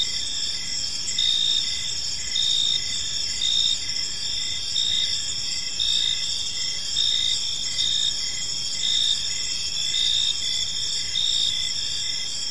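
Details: Crickets chirping on an evening in a park, a dense steady high trill with pulsed chirps repeating roughly every second over a continuous insect chorus.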